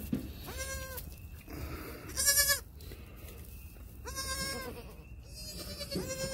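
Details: Newborn triplet goat kids about six hours old, born 1/6/2021, making some of their first bleats; several short, high, nasal bleats, each under a second, with a steady faint hum in the background.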